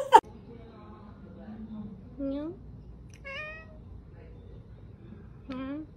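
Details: Domestic cat in a humorous compilation giving several drawn-out meows, each a rising then falling harmonic cry, spaced about a second apart, with a sharp click at the start and a faint low hum underneath.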